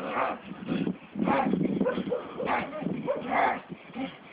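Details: Staffordshire Bull Terrier on a walk: a run of whiny vocalising and soft barks in bursts of about half a second, over muffled low rumbling.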